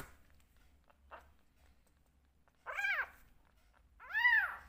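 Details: One of two rescue kittens at bottle-feeding time in a quiet indoor room: after a near-silent pause, two clear arched meows about a second and a half apart, the second louder and longer.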